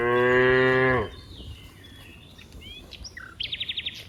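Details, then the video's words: A cow among dozens playing in green rice fields gives a loud, steady moo lasting about a second, then small birds chirp and trill in the background, one with a rapid repeated note. "funny cow sounds, Moo cow sounds"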